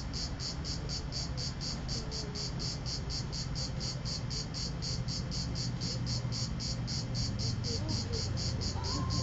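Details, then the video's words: Cicada singing at Vello in the province of Brescia, 4 September 2010, 16:04, captured with a Nokia N73 phone; a regular train of shrill buzzy pulses, roughly 220 per minute, continuing throughout above low-pitched rumble. "ultima cicala 2010 vello"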